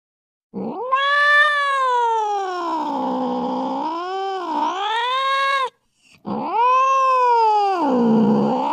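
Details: Drawn-out caterwaul from an angry domestic cat: a long wavering wail that sweeps up and down for about five seconds, breaks briefly, then a second rising-and-falling moan. No other sounds.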